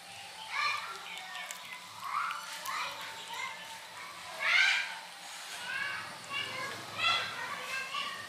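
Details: Several kittens mewing to be fed, high harmonic mews rising and falling, overlapping in irregular bursts with a louder, sharper cry near the middle.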